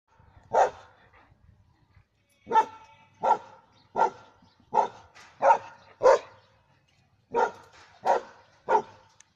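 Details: A German Shepherd Dog kept as a pet barks in short, sharp, irregular bursts: one bark, a two-second pause, then nine more spaced roughly half a second to a second apart, some with brief hoarse edges.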